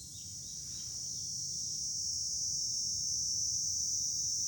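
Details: Cicadas in July from a hilltop overlooking Fukuoka city, Japan: a steady, high, hissing drone that swells slightly louder over the seconds, with a faint low rumble beneath.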